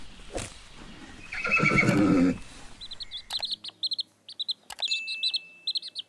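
A goat gives one loud, quavering, nasal bleat lasting about a second, followed by a run of small birds chirping high and quick.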